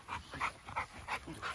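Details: American Bully XXL dogs during security and protection training outdoors: a quick run of short, yelping yips, about three a second, fairly faint, with no other clear sounds.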